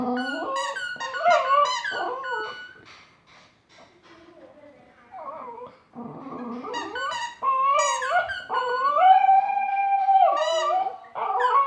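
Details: A Border Terrier playing with a squeaker toy howls in wavering, rising and falling tones, like a dog singing along.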